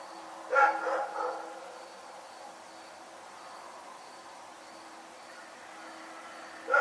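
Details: Nighttime barking by the dog Rex: three quick gruff barks, a long quiet gap with a low steady hum, then a single bark at the close.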